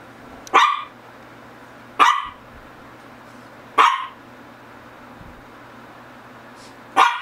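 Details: Shih Tzu from the pair GGung and SSong barking: four short, sharp barks spaced unevenly over seven seconds, each a bright burst centred mid-pitch with a quick fade, against a quiet indoor background with a low steady hum.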